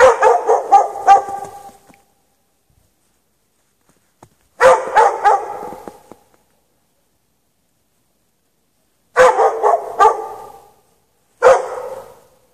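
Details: Dog chained outside in snow without shelter at night, March 2014, barking for hours: bursts of rapid, harsh barks in clusters of about five, each burst lasting over a second, separated by several seconds of silence.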